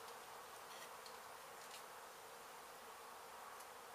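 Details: Steady droning hum from many honey bees in a disturbed hive being removed from a demolished abandoned house in Mission, Texas; constant, unbroken buzz with faint clicks and rustles on top.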